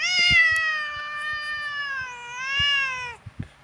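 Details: Female domestic cat, said to like grumbling and to be easily annoyed, complaining indoors in a bad mood. She gives one long drawn-out meow of about three seconds, steady and slightly wavering, then falling at the end, over faint tapping clicks.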